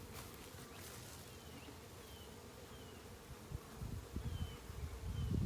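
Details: Western honey bee swarm being gently coaxed into a box during a capture; a low, steady buzzing hum with scattered faint high whines of passing bees, and handling rustles and thumps growing louder toward the end.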